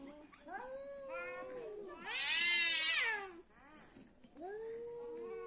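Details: Two cats in a fight: a low, sustained moaning yowl swells into a loud, shrill, quavering scream, then sinks back to a drawn-out growling wail.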